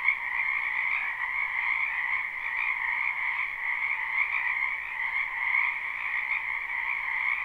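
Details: Many frogs croaking in a spring wetland behind a house, recorded live at night without looping: a dense, unbroken chorus of high trilling calls in two steady bands, continuous throughout with no other sounds.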